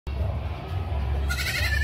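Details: Baby goats while eating: after a second of low steady rumble, a brief high, harmonic-rich bleat starts and holds to the end of the short recording.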